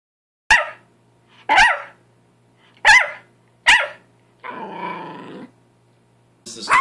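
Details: Yorkshire Terrier barking in a compilation: four sharp, high barks about a second apart, then a longer whining howl-like sound, and another bark at the end.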